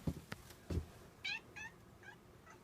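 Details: Howling like a puppy, a house cat follows a few low knocks and taps with a run of four short, bright, ringing cries that grow fainter one after another, against a quiet indoor background.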